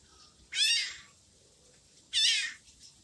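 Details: An orange kitten abandoned by its mother cries twice, each a loud, high-pitched, wavering meow of about half a second, spaced roughly one and a half seconds apart in a quiet indoor setting.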